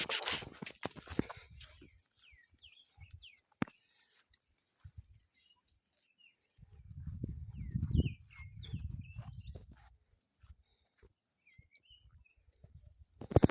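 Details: Sheep grazing outdoors, recorded as raw footage: low, rough tearing and munching bursts, loudest in a cluster near the middle. Short chirps from birds sound above, with a few sharp knocks at the start and end.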